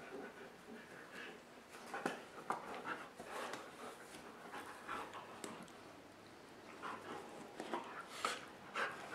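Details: Dogs flopping around and playing on a dog bed indoors on a rainy day; rapid, soft breathy panting puffs, fairly fast and uneven, with occasional faint whimper-like sounds.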